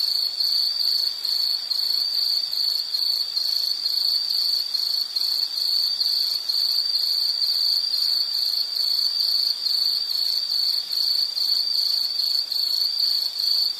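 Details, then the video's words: Insect chirping in a nature soundscape: a steady high-pitched trill held near one pitch, pulsing rapidly and almost without pause throughout, with a faint overtone above and no other sounds. "Nature Sound of nature sounds scenery L · insect"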